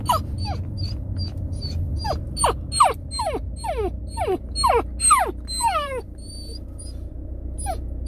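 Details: Sick Samoyed puppy whimpering as if in pain; rapid series of high, falling whines, roughly two per second, over low engine-like rumble.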